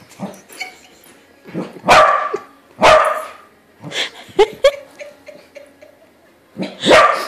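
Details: Domestic corgi meeting a corgi balloon and realising it isn't a real dog: irregular bursts of loud barks, some doubled, with quieter yips and short whines between them.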